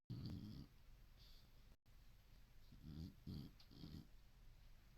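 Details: Senior boxer dog in deep sleep, dreaming: low, rough snoring rumbles, one long drawn-out snore at the start, then a cluster of three shorter snorts about three seconds in, over faint room hiss.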